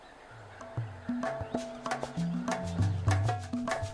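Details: Latin-style percussive music with wood-block knocks and plucked bass notes; no animal sounds.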